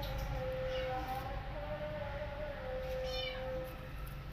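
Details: Abandoned kittens cry out for their absent mother cat, seeking a nursing mother; a long, steady, even-pitched meow stretches for several seconds, followed by a short rising cry, over constant low background hum.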